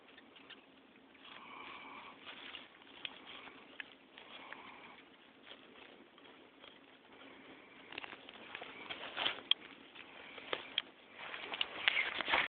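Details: Red velvet ant, also called cow killer, a flightless wasp, screaming: faint raspy squeaks and scratchy bursts, some with thin tonal bands, coming in quick uneven pulses and growing louder and denser toward the end over a soft hiss.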